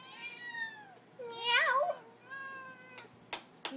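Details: Furry house pets singing for supper: a long falling meow, a louder wavering yowl, then another steady drawn-out meow, with sharp clatter of dishes at the end.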